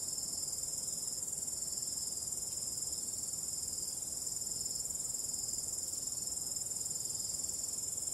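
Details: Crickets calling through a calm, starry night: a dense, very high buzzing trill of fast, regular pulses carries on unbroken, with a faint low wind hush beneath.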